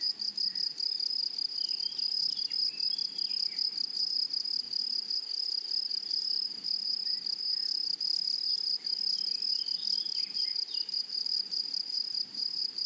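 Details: Grasshoppers in a flowery meadow or prairie, making a continuous high, shrill ringing trill with a fast pulsing texture throughout, joined by a fainter overtone above it and soft, scattered chirps lower down.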